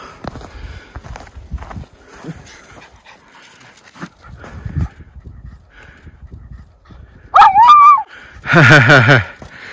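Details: Two Miniature Schnauzer brothers, Lucky and Levi, romping in their yard's deepest snowpack in Aroostook County, Maine, February 11, 2023, as spring melt begins. Soft panting and shuffling, then a wavering rising yelp and a loud harmonic bark burst near the end; a man talks.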